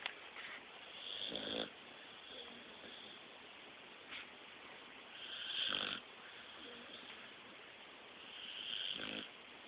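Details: Snoring blue nose pit bull, phone recording: three harsh, wheezy snore breaths roughly every three and a half seconds, each a rough rasping swell, with constant hiss between them.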